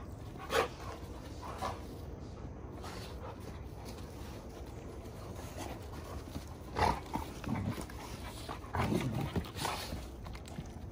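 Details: Giant Schnauzers at rough play, wrestling each other: brief sharp huffs and growly grunts in scattered bursts, a louder cluster late on, with constant low background rumble.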